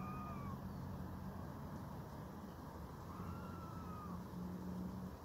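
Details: Red squirrel crying in a meowing manner to show a rival that starting a scuffle is no longer worthwhile; two faint, slightly arched mewing cries, a short one then a longer one about three seconds later, over a steady low rumble like distant traffic.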